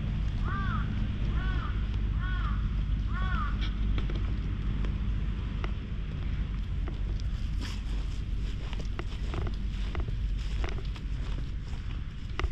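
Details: Black stray cat gives four short, arched meows roughly once a second during the first four seconds, over steady low wind and traffic rumble, followed by footsteps and rustling.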